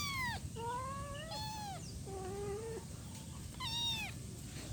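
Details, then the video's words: One-week-old kitten calling its mother with thin, high meows: five clear calls, some rising and some falling, about a second apart, over a steady low background hum. "Cat meowing sound effect - 1 week old cat calling mommy."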